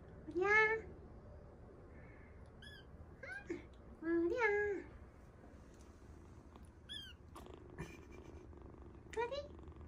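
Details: Rescued kittens, lost or fallen into a sewer and crying for hours, give loud, rising-then-falling meows with rich harmonics, about two strong cries plus a few short chirps, with quiet talking between them.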